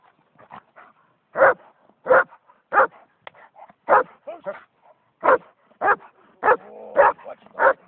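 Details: German Shepherd, a purebred male of old working line, barking: loud, broad barks repeated roughly every half second to second, with softer yips and whines between them.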